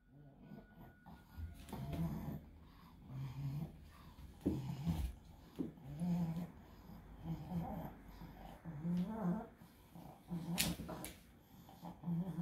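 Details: Pug with encephalitis straining through an epileptic seizure; low, rough snoring-like breaths and wheezes in irregular bursts roughly every one to two seconds, with faint background noise.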